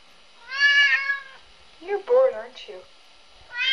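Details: Three-year-old red point Siamese cat indoors, bored instead of playing with toys: two drawn-out harmonic meows, one at the start and one at the end, with a shorter chirpy call between, while a woman talks to him.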